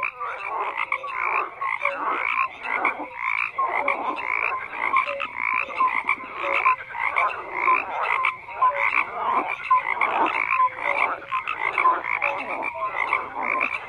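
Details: Many frogs call together in a steady croaking chorus of rapid, grating pulses dotted with brief clear notes, with no other sounds in the background.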